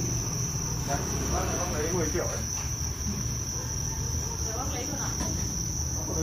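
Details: Farmed Thai crickets producing a continuous, even, high ringing trill without pauses, with low background rumble and faint murmuring human voices.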